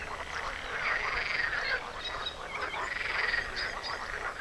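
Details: Frogs sing together at a small lake or marsh beside a bike route from Sumy to Kyianytsia, Ukraine, among pine and mixed forest. A dense, steady chorus of rattling croaks overlaps continuously, with no single caller standing out.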